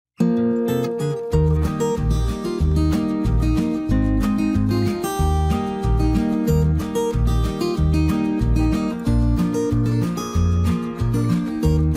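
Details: Strummed acoustic guitar music with a steady low bass rhythm throughout, and no animal voice.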